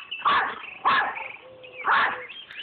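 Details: A female Yorkshire Terrier barking at geese gives three sharp, high yappy barks about half a second to a second apart, with faint tonal calls in the background between them.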